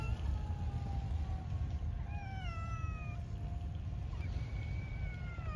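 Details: A cat meowing: several drawn-out meows that slide downward, clustered in the middle and again near the end. A steady low rumble of background noise sits underneath throughout.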